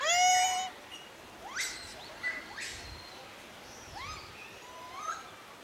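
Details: Japanese macaque, filmed among macaques mounting deer, gives a loud, rich, tonal cry, followed by fainter upward-sweeping calls; Japanese macaque.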